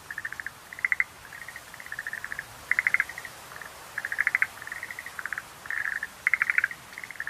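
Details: Schlegel's green tree frog calling, a nature soundscape: rapid clicking pulse trains in short bursts, some running into rattling chatters, repeated nearly continuously over a faint steady background hiss.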